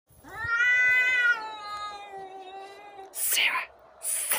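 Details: Domestic cat during a fight, giving a long harmonic-rich yowl that holds steady then slowly falls over three seconds, followed by two sharp broadband hisses or spits.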